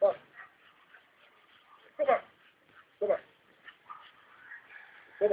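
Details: Female Rottweiler named Clover, tired of fetching after hiding her ball, gives short, sharp barks or yelps spaced one to two seconds apart, with faint voices and a steady background hum.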